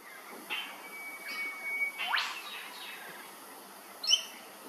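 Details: Flying foxes, fruit bats at Hervey Bay, Queensland, give harsh, scratchy squeals in scattered short bursts, one sweeping sharply upward. A brief, louder chattering note comes near the end over a faint, steady thin whistle and low background hiss.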